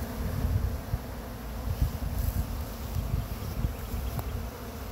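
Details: Swarm of honey bees being caught from a pine tree in Chattanooga, brushed into a box with frames; a dense low continuous buzz with fluctuating loudness and a few soft clicks and rustles.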